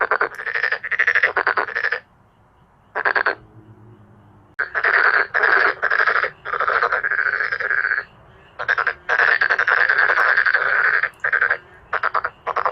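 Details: Chorus of male black-spotted pond frogs: loud, grating, pulsed croaks in rapid runs of several notes, broken by short silent pauses, about two per second.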